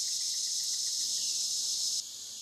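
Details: Cicadas on the Licking River in Morning View, recorded between dusk and dawn: a dense, hissing high-pitched buzz that holds steady, then drops abruptly in loudness after two seconds and carries on more quietly.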